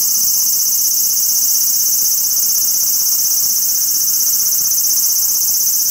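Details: Large brown cicada calling from a cherry tree in a park, giving a steady, unbroken sizzling buzz high in pitch, with a faint pulsing texture and no other clear sounds.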